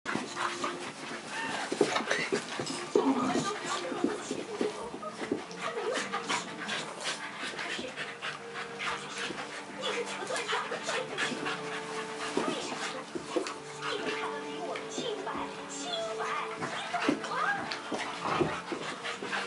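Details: Dog panting in rapid, breathy, noisy puffs that run continuously for about twenty seconds, with faint low voices in the background.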